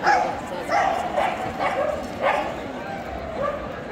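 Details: Veteran female Pharaoh Hound at the EDS 2022 dog show: about six short, sharp barks in four seconds, spaced unevenly, over steady indoor crowd murmur and French speech.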